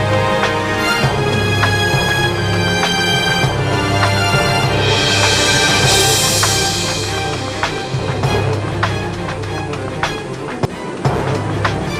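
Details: Loud, steady background music with a droning low tone and sharp clicks; no animal voice comes through.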